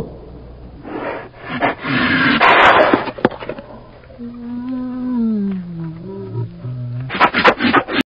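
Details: A bear that failed to catch a fish gives harsh, rasping roars, then a long, drawn-out moan that slides downward in pitch.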